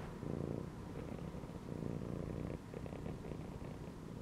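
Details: Relaxed pet cat lying curled inside a gym belt gives a continuous low, throbbing purr, even and rhythmic throughout, with gentle swells in loudness and no other clear sounds.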